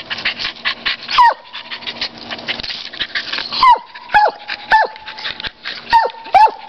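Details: Dog named Champ barks at a squirrel, giving about seven shrill, downward-sliding yelps, mostly in pairs after a single opening bark, with a constant tonal hum and fast clicking chatter behind.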